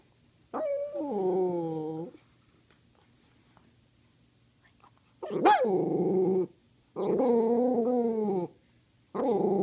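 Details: A pet dog asking for treats with drawn-out, talking-like moans and howls, harmonic and wavering, rising then falling; four long vocal bursts of one to two seconds each, separated by short silences, indoors.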